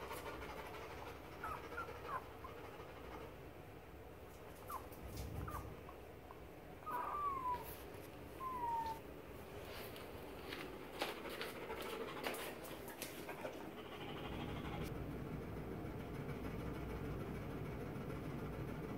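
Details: German shepherd boxer mix puppies, 17 days old, give two short, thin whines around the middle, each sliding downward, over a steady low indoor hum with scattered soft clicks and rustles.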